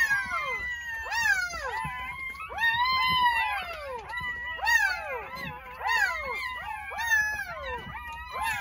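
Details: A litter of newborn Jindo dogs, nine pups born on New Year's Day in a country house, cry with loud, high-pitched wails that rise and drop steeply, several voices overlapping in bursts.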